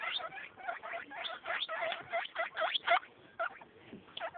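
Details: Eight-day-old baby guinea pigs squeak in short separate bursts, each a bright harmonic note, coming several per second with brief pauses between groups.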